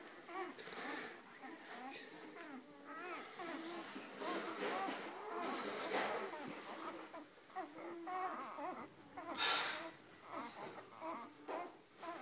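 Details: Weimaraner puppies producing continuous overlapping high, wavering whines and squeals, several voices at once, with a brief louder squeal near the tenth second, in a small indoor space.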